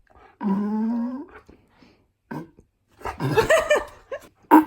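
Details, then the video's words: Indoor pet dog protesting its owner's fart sounds: one sustained, smooth moaning tone lasting about a second, then quiet, then a burst of wavering grumbles and growly, rising yowls in a small room. "My Dog Argues With Me About Fart Sounds."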